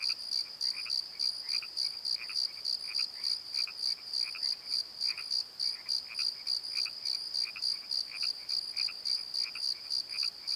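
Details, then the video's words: Night chorus of crickets in a valley bottom, recorded on a Nikon D7100: rapid regular high-pitched trilling pulses repeating about three times per second, with softer irregular chirps from other callers mixed in. "Crickets and Croaks! Pozo Night Tree"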